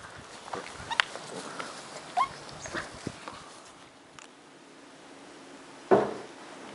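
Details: Two 10-week-old Cardigan Welsh Corgi puppies, brother and sister, play fighting indoors in Adelaide, South Australia; brief high whimpers and yips with scattered soft knocks, then one louder sharp yelp near the end.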